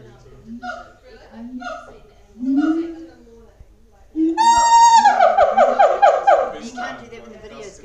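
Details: At Auckland Zoo, booming siamangs start with spaced, rising hoots, then break into a loud, clear drawn-out wail that runs straight into a fast, rhythmic series of barks.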